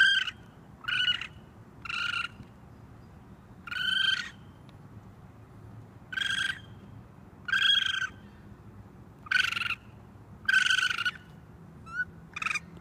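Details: On a roof, a raccoon baby calls for mom with a long series of shrill, raspy screams of under a second each, plus a couple of faint squeaks, repeated every one to two seconds.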